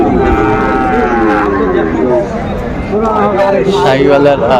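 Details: Sahiwal bull bought by a farmer in Comilla, Bangladesh, 17 January 2025: a long, low, harmonic moo drawn out over the first second and a half, then further lowing overlapped by men talking nearby.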